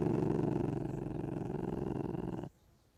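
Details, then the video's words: Ocelot making a deep, rapidly throbbing purr-like rumble for about two and a half seconds that stops abruptly, leaving quiet. "The sound of a Ocelot"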